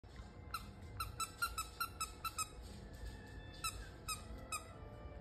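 A corgi puppy gives high, squeaky whimpers in quick repeated bursts, several to a second.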